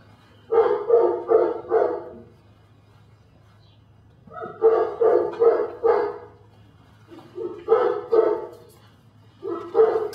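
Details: Belgian Malinois puppy Dinar "Cricket" in Mexico, barking in rapid runs of four or five sharp barks, each run followed by a short pause, over a steady low hum.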